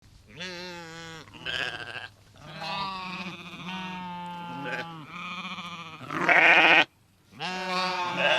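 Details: Several sheep bleating: overlapping, drawn-out, quavering bleats of about a second or more each, some deeper and some higher and harsher, following one another almost without pause.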